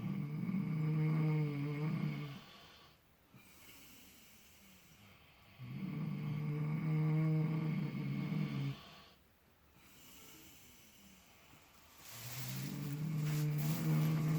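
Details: Miniature potbellied pigs asleep in fresh straw in total relaxation, apparently dreaming; three long low rumbling snores, each about two to three seconds, separated by quiet inhalations.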